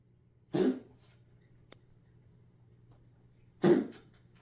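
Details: Domestic cat making a weird noise indoors: two short, harsh, cough-like hacking bursts about three seconds apart, separated by a quiet stretch with a low steady hum and one faint click.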